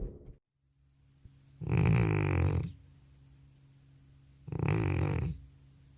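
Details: Old cat, nicknamed grandpa, deeply asleep after returning from a vet visit, recorded without a separate microphone: two loud, rough, rasping snores about three seconds apart, a quiet room between them.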